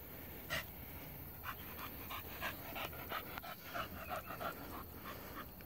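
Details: Female Pit Bull panting after hunting a rabbit and bringing the fresh catch to its owner; rapid, breathy pants in irregular bursts, with a man giving quiet commands nearby.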